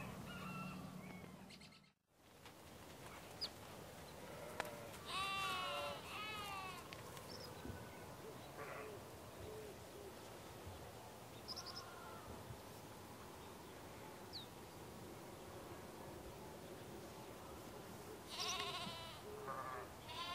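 Sheep give wavering, quavering bleats over a quiet farmyard morning with small birds chirping.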